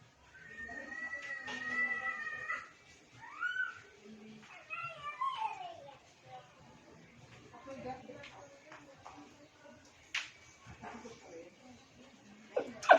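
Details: Shih Tzu; whine; calling the attention of another dog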